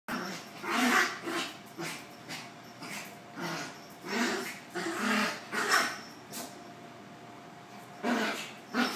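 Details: Domestic dog with the zoomies, growling in play while romping with a kitten; low rumbling growls come in repeated bursts of about half a second, with a steady faint hum in the background.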